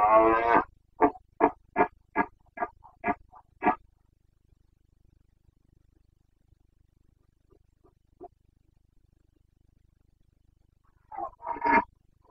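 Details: Carpathian red deer stag in rut, Bucovina, 29 September 2022: a long hoarse roar followed by about seven short, clipped grunting roars in quick succession, a quiet stretch, then another rough bellow.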